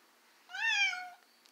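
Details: Cat that dislikes his stroller gives one clear meow, rising slightly then falling, tonal and lasting about two-thirds of a second, indoors in a small room.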